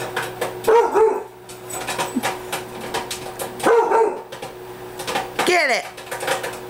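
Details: Bailey, a pet Rottweiler that feels threatened by popcorn popping in the microwave, gives two short gruff barks about three seconds apart indoors, with rapid popping crackles, microwave hum and a sliding human voice near the end.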